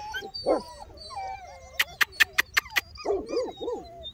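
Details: Bernese Mountain Dog puppies, two months old, give short sharp yelps and thin wavering whines. A quick run of six rapid tapping clicks sits in the middle, followed by more yelping cries.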